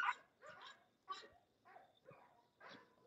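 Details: English Bulldog at a kennel of home-raised guard and working dogs, giving short, rough barks about every half second, each a broad burst with a harsh upper edge, spaced by brief quiet gaps.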